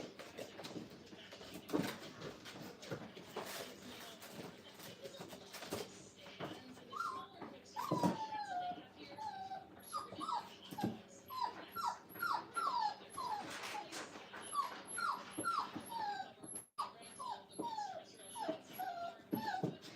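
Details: Brittany puppies, five weeks old, in a training kennel crate: a rapid series of short, high, falling whimpers builds from about seven seconds onward, overlapping and repeating, with shuffling and a faint high tone.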